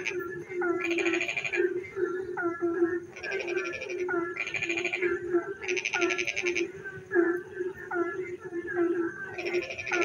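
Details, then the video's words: A rainy-night frog chorus in darkness, with a constant low humming trill beneath repeated short rising croaks and several rattling bursts of fast, high pulses, each lasting about a second. "frog singing in the dark night when it rains"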